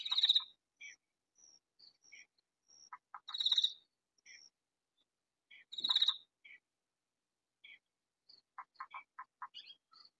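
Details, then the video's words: Katydid calling at night in a vegetable garden, loud enough to be heard throughout yet hidden from view; short bursts of harsh rasping pulses near the top of the range, separated by quiet gaps, with fainter scattered clicks and chirps between. "Katydid calling in vegetable garden"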